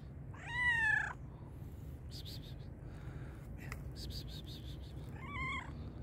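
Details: Hungry black and white cat meowing loudly: one strong arched meow early, then clicks and scuffing noises, and a second shorter wavering meow near the end over steady low hum.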